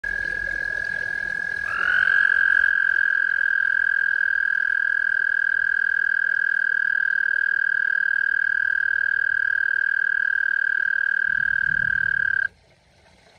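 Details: An American toad calling in a backyard sings a sustained, even, musical trill, a high purring note held at one pitch for about ten seconds before stopping abruptly, over a faint background hum.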